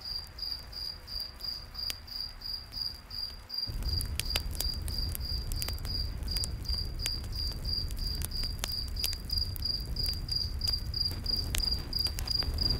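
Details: Steady high cricket chirping fills a forest at night; after a few seconds the crackling and low roar of a campfire grow louder, with frequent sharp pops under the even chirps.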